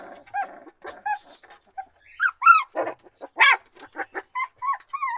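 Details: Loud puppy cries: short squeaky whimpers and sharper upward-sweeping yelps come in quick succession, about one a second, some with clear harmonic bands.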